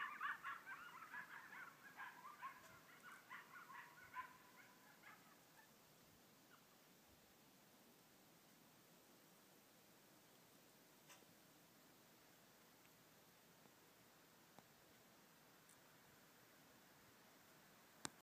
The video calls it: Couple of late night coyotes making some noise.